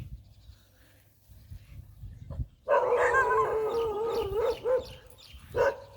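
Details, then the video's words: Pit Bull bandog said to tire very easily: after a quiet start with low rumbling, a drawn-out wavering whine-howl lasts about two seconds, followed by a brief second whine. "หมาพิทบูลแบนด็อก เหนื่อยง่ายมาก"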